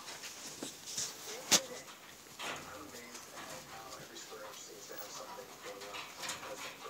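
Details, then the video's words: Newborn Siberian husky puppies from a litter born March 25, 2017 to the mother Liv, giving thin, high whimpering squeaks among rustling and a sharp click, with some human voices in the background. "Siberian Husky Puppy Litter"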